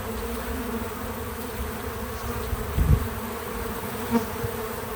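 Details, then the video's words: Bees at work around a feeder, natural sound only: a dense, steady low buzz with bright overtones, a cluster of low bumps at mid-clip and a short rise in the hum shortly before the end. "Bees in Slow Motion at the Feeder 🐝 | Natural Buzzing Sounds"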